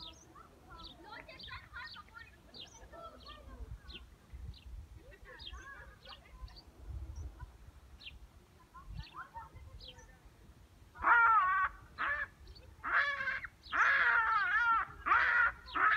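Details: Big and little baboons playing catch give harsh, wavering, hissing screeches in loud bursts, like an angry cat, after faint bird chirps.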